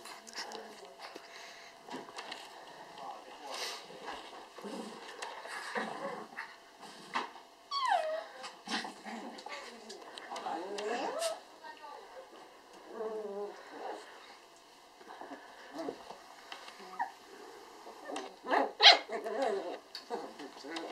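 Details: Eight-week-old apricot dwarf poodle puppies, one female and three males, play with their mother at a Finnish kennel; rising and falling whimpers, squeals and low growls come in irregular bursts, with human speech and clattering between them.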